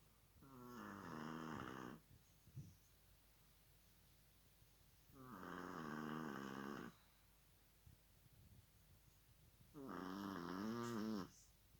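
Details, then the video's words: Chihuahua snoring indoors: three long, rasping, harmonic-rich snores, each lasting about one and a half seconds, spaced roughly four to five seconds apart, with quiet breathing pauses between them. "Чихуахуа храпит"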